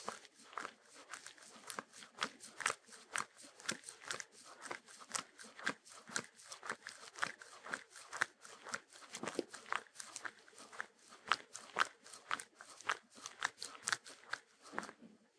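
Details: Sheltie, a Shetland Sheepdog, eating with no music added: sharp, dry crunches repeated steadily about twice a second throughout, each a brief crackling burst of chewing.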